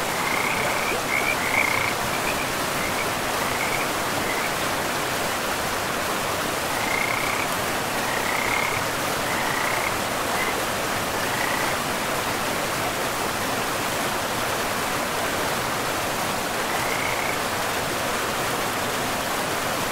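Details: In a pristine forest by a river, frogs give scattered short bursts of high trilled croaks, spaced irregularly a few seconds apart, against a loud, even rush of running water.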